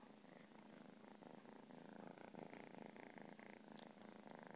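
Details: Purring cat, the rumble swelling and easing in regular phases roughly every half second, like breathing in and out, loud and close throughout.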